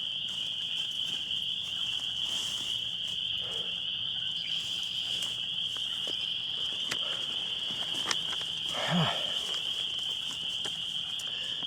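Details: A dense spring peeper chorus at vernal pools in Allamuchy State Park: countless high, piping peeps merging into one steady, ringing shrill; a couple of wood frogs quacking also heard.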